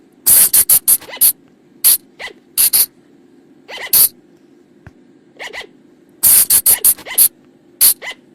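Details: Night lure recording of flying lemur calls: clusters of sharp, hissing bursts fired in quick runs, alternating with fainter upward-sweeping squeaks in pairs, all over a constant low background drone.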